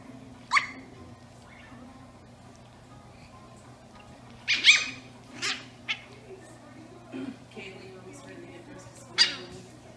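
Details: Eight-week-old Brussels Griffon puppies, twin sisters, playing, with a three-year-old 120 lb black Labrador Retriever named Jenna also present; a few sharp, high yips and squeaky barks come in short bursts, separated by quiet gaps over a steady low hum.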